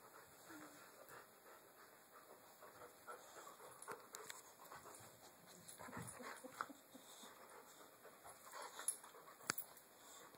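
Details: Chewy and Tucker, two pet dogs, keep playing tug with a rope; soft steady panting and low rumbly play sounds with occasional sharp clicks and knocks, a human voice briefly in the background.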